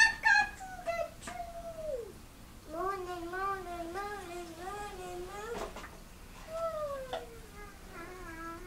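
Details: Cat meowing while climbing curtains indoors: a run of short, repeated mewing calls with wavering, slightly rising-then-falling pitch, several longer drawn-out descending meows before and after, and brief human speech in a small room.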